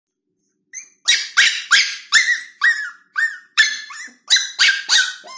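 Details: Lhasa Apso puppy, a female, on her first day at home, left alone in her own space; high-pitched yelping barks repeated roughly three times a second in an insistent, uneven series.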